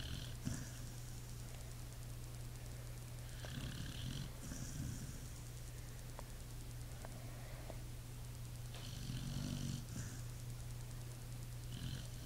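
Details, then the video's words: Snoring from a sleeping Pit Bull: deep, grating inhales and soft whistling exhales recurring every few seconds, with a steady background hum. "Pit bull snoring"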